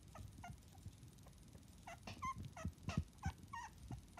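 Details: Newborn Miniature Dachshund puppies, seven in the litter, two to twenty-five days old; quick bursts of short squeaky peeps and little rising whines, closely spaced, with low shuffling and bumps beneath.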